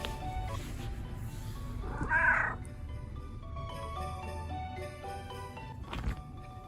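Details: Domestic cat meow from one of two rescued pet cats, black male Vivi or red tabby female Lizzy; a single short, bright meow rises and falls near the middle, set against steady background music with plinking notes.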